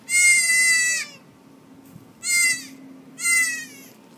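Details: Mother goat giving birth on a farm in March; three loud, harmonic bleats, each lasting up to a second, separated by short pauses against a quiet background hum.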